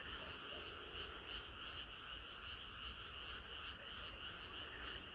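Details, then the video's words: Frog chorus on a hot summer night: dense overlapping croaks with bright pulses near the top, repeated about three times a second in a steady, somewhat uneven rhythm, low rumble beneath. "개구리들의 합창은 끝이 없어라"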